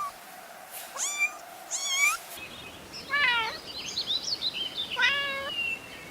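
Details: Kittens stalking and chasing butterflies on grass, meowing: about four high, clear mews, the first two rising then falling around one and two seconds, two more later, with faint chirpy background sounds between.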